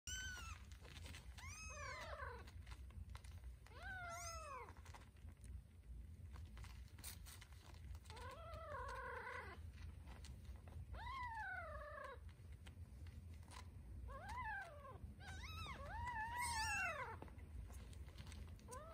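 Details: Scottish Fold kittens, including a tortie, fight over a nipple while nursing indoors; high, arching mews rise and fall repeatedly, several overlapping, over a steady low rumble.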